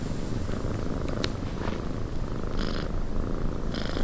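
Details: Domestic cat purring inside a windy cabin: a steady low rumble under broadband wind hiss, with brief higher gusts and faint rustles near 1.2, 2.6 and 3.8 seconds.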